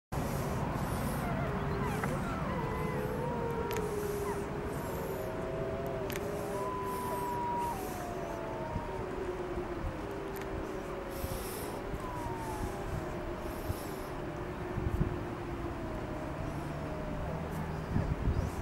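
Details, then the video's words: Several gray wolves of Yellowstone's Wapiti family group howl together in winter near the Montana-Wyoming border, in long, overlapping, sliding tones over a low rumble of wind or distant traffic. "Wapiti Wolves 3 3 22"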